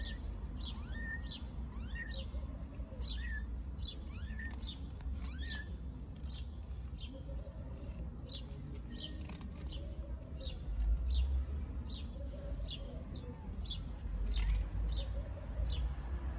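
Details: Newborn stray kittens in Istanbul venture outside their nest for the first time to play in nice weather, giving thin, high, downward-sliding mews repeated in quick, uneven bursts over a steady low outdoor rumble.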